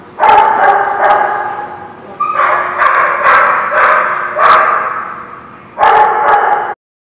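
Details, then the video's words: Group of dogs at The Barking Lot, 12/3/16, giving repeated loud barks in clustered runs, some yips and a whimpering tone among them, then stopping abruptly near the end. "The Barking Lot"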